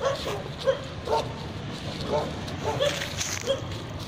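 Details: Kennel dogs, Tibetan Mastiff and Gaddi breeds, in Khanna, Punjab, give scattered single barks about every half second while human voices talk in the background.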